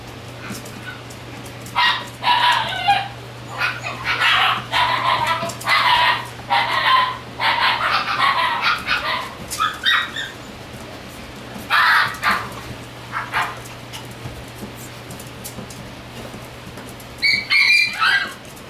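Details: Shiba Inu puppy born on 10 April 2017, yapping in quick bursts of high, sharp barks, some clustered in rapid pairs and threes, pausing mid-clip before a final yip; a constant low hum runs throughout.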